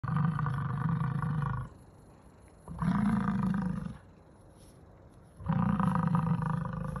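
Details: American bison (Bison bison), rut bellow: challenging rival males during the mating season.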